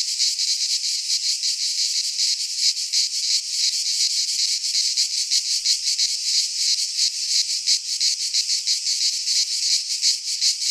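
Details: High, rasping drone of cicadas singing in a Greek pine forest during midsummer, fast rhythmic throbbing layered in a thick, steady chorus without pauses.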